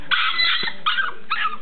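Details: Roscoe, a pet dog upset about his pen, lets out three short, harsh, high yelping cries in quick succession.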